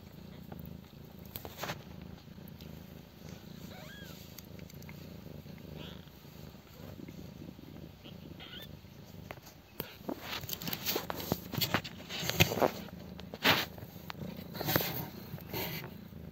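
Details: Stray mother cat Mii-chan with her five 12-day-old kittens, born in a doghouse. There is a steady low rumbling purr with soft irregular clicks and rustling bursts, which grow louder and busier after ten seconds.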